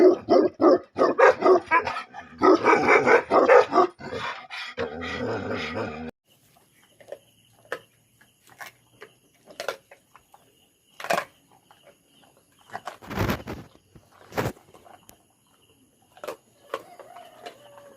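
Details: Tibetan Mastiff, a livestock guardian dog breed known in Nepal as Bhote Kukur, barks loudly and rapidly in dense bursts for about six seconds; after that only faint, scattered knocks and short sounds follow over a quiet background.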